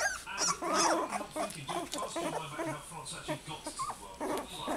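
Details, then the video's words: Several Goldendoodle puppies whining for their mother: a dense, overlapping chorus of high, arched whimpers and short yips, bursting several times a second, over a low steady hum. "Noisy Little Goldendoodle Puppies"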